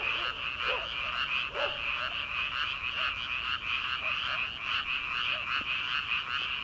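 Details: Many frogs croaking together in rice fields on an early-summer night before rice planting: an unbroken, shimmering wall of fast high trills, with only a few faint lower croaks.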